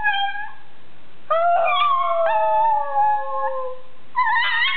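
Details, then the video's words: Pet pug singing in a wavering howl: clear tonal notes that slide downward and break into new pitches, three long phrases with a rising yelp at the end, no other sounds. "Gucci the Pug singing"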